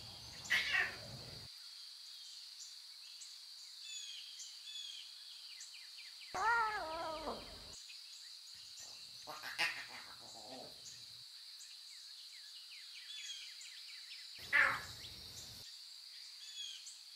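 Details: Wild lion cubs with their mothers in natural surroundings, meowing: three separate harmonic, wavering mews, the longest a descending stacked call near the middle, set against steady high chirping and chatter from birds or insects.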